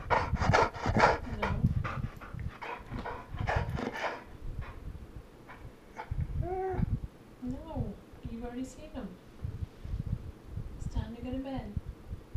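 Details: Female Golden Retriever indoors at night, vocally protesting bedtime and wanting to see her chickens; after a stretch of a woman talking, a series of drawn-out, arching moan-howls rise and fall several times, separated by short pauses, with her voice between them.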